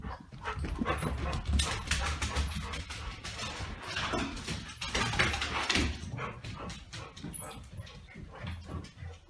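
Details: A 9-week-old golden retriever puppy and an older golden retriever play keepaway with a Kong toy, giving rough grumbles, whines and short yips amid busy scuffling.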